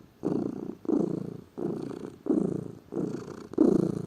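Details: A lazy pet cat purrs close up, deep vibrating rumble split into six distinct breath bursts with short quiet gaps between them.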